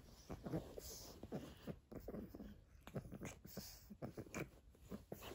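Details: Eight-week-old pug puppy playing indoors with a hair scrunchie, giving soft snuffling grunts and snorts mixed with chewing and nibbling clicks in quick irregular bursts, close up in a quiet small room.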